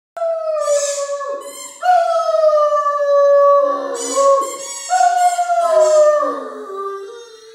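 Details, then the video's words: A Great Dane howls along after squeezing his favourite squeaky toy, giving long, mournful howls, each held steady before sliding down in pitch. "Funny Great Dane Sings Along To His Own Howling Song"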